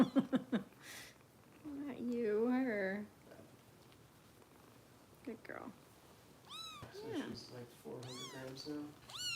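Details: Foster kitten Harper, a little over 400 grams, being bottle-fed by Kitten Rescue volunteers in Los Angeles: a few high, arched, wavering meows late on, following a stretch of human talk, indoors in a small room.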